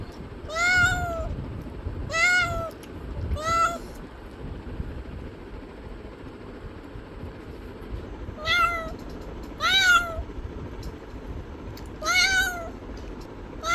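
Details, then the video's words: Domestic cat meowing: six clear, drawn-out meows in two sets of three, each arching up then down in pitch, separated by pauses of a few seconds over a steady low background rumble. "Cat Meowing Sounds"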